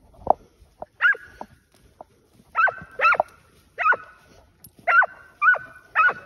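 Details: Hunting hounds tracking wild boar give loud, clear barks, mostly single with some paired, about one every half second after an opening pause, with little else heard around them.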